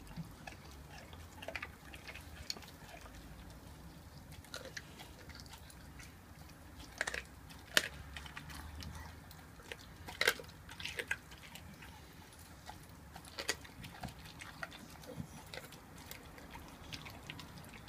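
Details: Mia, an 11-month-old raw-fed Staffordshire Bull Terrier, eats a raw chicken quarter indoors; wet crunching bites and sharp cracking snaps come irregularly, loudest around seven to eleven seconds, over a low room hum.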